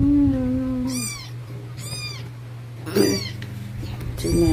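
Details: Female stray kitten meowing during her first bath at night, indoors; four short, high mews about a second apart, each with a brief falling tail, over a steady low electrical hum and a woman's soft voice.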